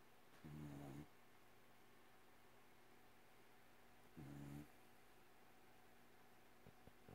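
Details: Sleeping female cat snoring in a quiet room: two short, low, buzzy snores about three and a half seconds apart, with faint hiss between them.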